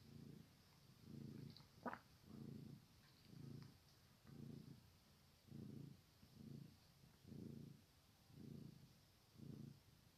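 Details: Kittens heard purring in low, regular rumbling pulses roughly once per second, with one brief faint higher squeak near the start, calm and close indoors.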